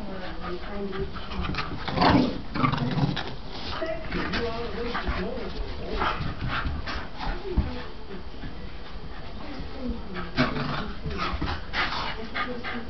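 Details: Two Staffordshire Bull Terriers, Dylan (white) and Spike (black), play fighting: short whimpers and low growly grunts in bursts, with a man talking and urging them on throughout.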